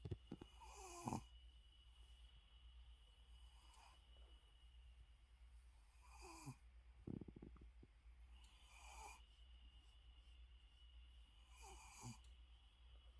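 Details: Shih Tzu asleep with eyes open, giving soft wheezy snores roughly every two to three seconds over a constant low hum, quieter and breathier than a full snore.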